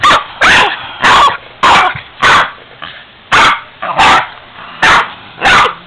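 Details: Boston terrier barking at a 45-year-old piggy bank she dislikes, loud harsh barks spaced about half a second to a second apart, with a brief growly edge between them.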